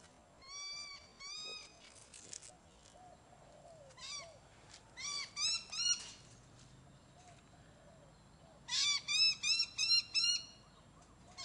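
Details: Demetri, a four-month-old chocolate silver Ocicat outside on harness and leash, gives bursts of short, bright, rising-falling meows in quick runs of three to six, separated by quieter gaps with faint background sounds.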